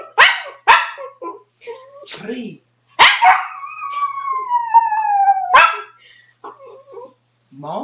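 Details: Pet dog howling on command: one long drawn-out howl sliding slowly downward in pitch over about two and a half seconds, with short spoken words from people before and after it.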